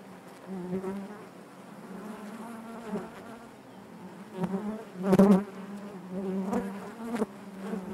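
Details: Inside a honey bee hive, a dense continuous hum of many bees holds a low droning pitch, with a loud close fly-by just past five seconds and smaller swells before and after.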